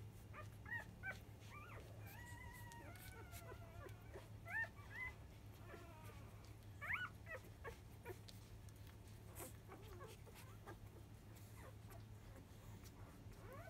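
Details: Newborn field-line Labrador Retriever puppies, five days old, nursing at 10 a.m. from their mother biscuit, 2017 JFA grand champion: a busy run of high, wavering whimpers and squeals, bent and sliding, clustered in bursts, above a constant low hum.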